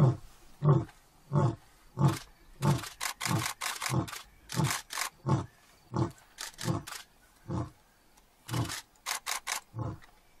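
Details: Lion in an African national park giving a long run of short, deep grunting roars, about fifteen closely spaced pulses over ten seconds, interleaved with sharper clicking or rustling sounds.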